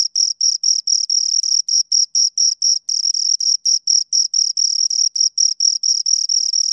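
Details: Two crickets produce rapid, high, raspy chirps, short bursts repeated several times a second with a few longer trills between them, clear and uninterrupted.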